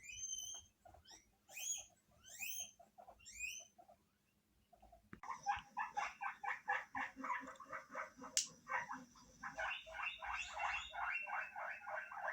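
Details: Several pet guinea pigs in a multi-animal home in Hokkaido, Japan, responding when an unfamiliar guinea pig's voice plays from a television. High, rising squeaks open the recording, followed after a brief pause by a busy run of rapid, pulsed squeaky calls.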